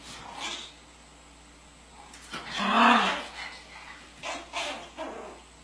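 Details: Pomeranian from a family of Pomeranians: a single harmonic bark rises out of quieter sounds near the middle, with fainter short noises before and after it.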